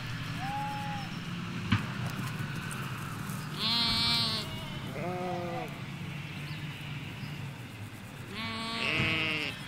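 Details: Ewes and lambs in a Hampshire countryside sheep field, recorded beside a hedge: a short high bleat, then a run of loud wavering bleats from several animals, some overlapping, above low rural background noise.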